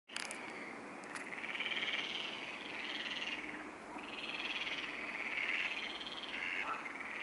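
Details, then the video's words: Frogs calling at the Neuer Teich pond late at night, 23:27 on 28 May 2017. A dense chorus of overlapping croaks merges into a continuous buzzing wall that swells and fades in slow waves, with a few faint clicks near the start. "Neuer Teich frogs"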